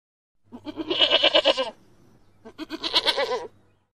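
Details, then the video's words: Markhor giving two quavering bleats, each about one second long with a rapid, pulsing tremble, separated by a short quiet gap. Faint low hum in the background. "Markhor Goat sound effect"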